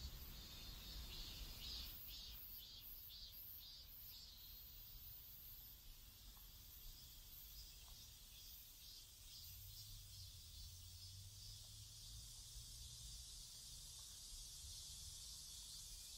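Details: Cicadas singing in a South Korean neighborhood: a high buzzing chorus that pulses rhythmically at first, several beats per second, then settles into a steadier hiss, with a low hum midway.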